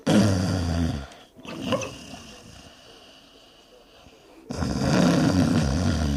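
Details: A sleeping dog snores with its lips flipping: a steady, raspy, fluttering drone opens the recording, a quieter stretch follows, then the loud, buzzy snoring returns for the last two seconds.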